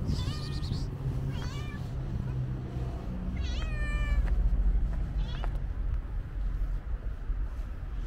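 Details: Calico stray cat with white paws and companion cats outdoors, a run of four harmonic meows, some short and rising, one drawn-out and level, against rumbling street traffic and faint voices.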